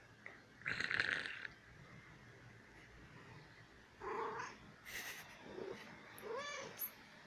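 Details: One-year-old female kitten playing and wanting attention: a hissy noise burst, then three short chirping trills near the end, the last with a quick pulsing quaver, in a quiet room.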